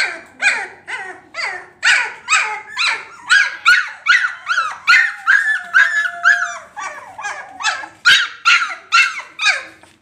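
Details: Labrador puppies yelp insistently in a steady series about twice a second. Each call is sharp and falls in pitch, and a thin, drawn-out whine runs underneath midway through.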